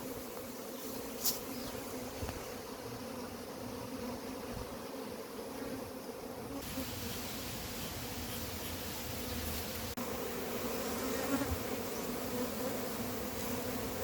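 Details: Large wild honey bee colony being caught from its hive, a continuous droning buzz of many bees holding an even pitch for the whole stretch, with faint hiss and an occasional soft tap.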